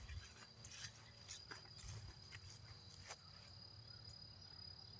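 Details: In a wooded area on a walk, an insect's steady, high-pitched trill runs unbroken throughout, beneath rustling footsteps and a low outdoor rumble, with birds heard nearby.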